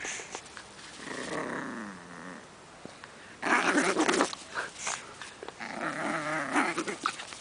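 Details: Pug puppy pulling on a rope during play, with rough, grumbling growls in bursts, a louder stretch midway, and short squeaky whines mixed in.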